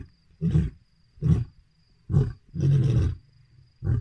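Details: Lions roaring at night around a lodge: deep, throaty roaring grunts, each lasting about half a second.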